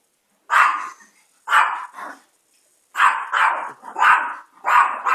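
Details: Diapered Chihuahua Chico barks in quick, uneven bursts: a few single yaps, then a rapid string of five or six harsh barks toward the end, with no other clear sound.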